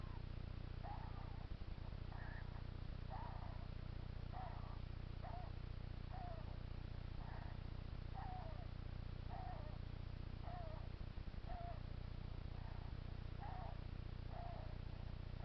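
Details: Regular, rasping puffs from a hedgehog whose owner asks if he is ill, each burst under half a second and repeating roughly every second, with a low continuous hum beneath.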